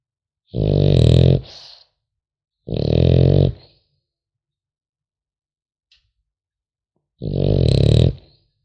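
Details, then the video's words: Sleeping French Bulldog puppy gives three harsh, deep snorting snores, each about a second long, with a faint whistling wheeze after the first and near-silence between breaths. "Храп щенка французского бульдога"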